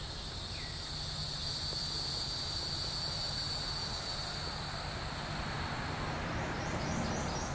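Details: Neotibicen hieroglyphica cicada at Shoal Creek, Joplin, Missouri, June 2012: a steady, unbroken high-pitched whine holds for the whole stretch, layered over a constant low rumbling background noise.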